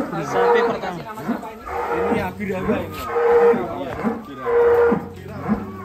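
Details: Huge sacrificial cattle for Eid al-Adha (kurban) being loaded onto a swaying truck in Indonesia, 2022: a series of drawn-out lowing moos about every second and a half, with music and people's voices behind.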